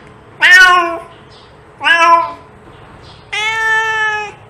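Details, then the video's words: Cat meowing to attract cats: two short downward-bending meows followed by a longer, flatter, drawn-out meow, all richly harmonic, over a soft steady hum. "Cat sound to attract cats"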